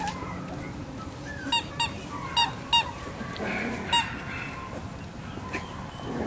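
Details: Male Miniature Schnauzer puppy named Salt, born 18 May, giving five short, high, squeaky yelps with bright stacked overtones, clustered between one and a half and four seconds, over a steady low indoor hum.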